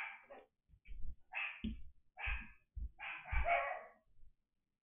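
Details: A dog barking during pen setup; about six short, harsh barks spaced roughly half a second apart, with loud low thumps under several of them.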